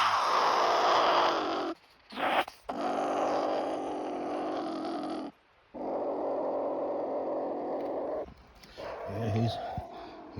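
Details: A pine marten caught at night in a live cage trap in Montana growls harshly and angrily in long, raspy bursts, with a man talking nearby.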